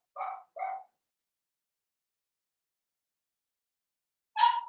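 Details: Cavalier King Charles Spaniel puppy, blenheim, seven weeks old, in an indoor pen: two quick short yaps, a pause of several seconds, then one louder, sharper bark.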